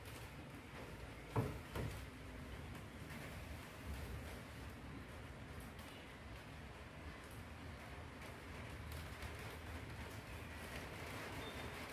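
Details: Quiet indoor background noise with a couple of soft thumps near the start, and no audible animal calls.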